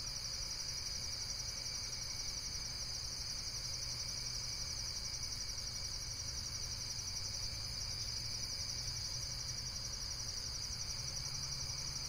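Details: Continuous insect trilling, shrill and finely pulsed, holding an even level throughout over a quiet low-frequency hum.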